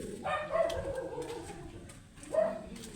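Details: Matted Shih Tzu, angry while being groomed, gives two tonal, whining barks, the first drawn out for about half a second, the second shorter after a quiet gap, over faint background hiss.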